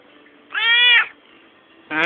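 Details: Domestic cat answering its owner during a back-and-forth conversation: one clear, tonal meow of about half a second, steady then slightly falling, followed by the start of a second meow.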